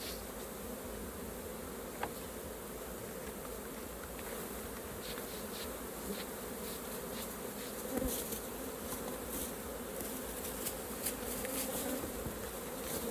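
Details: Honey bees at an open hive during a raw honey harvest, a steady dense hum with low tonal bands throughout, broken by a few faint clicks and taps as the hive is handled.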